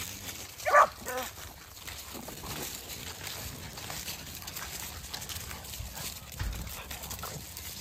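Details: Puppies of American Pitbull Terrier and French Bulldog breeds playing outdoors at sundown; one short, high, harmonic yelp rings out near the start, followed by quiet outdoor background hiss with faint rustling.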